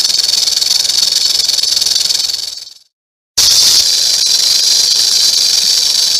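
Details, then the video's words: Rattlesnake shaking its rattle: a fast, dense, hiss-like buzz that fades away to silence partway through, then starts again suddenly at full strength and continues steadily. "Rattlesnake rattling"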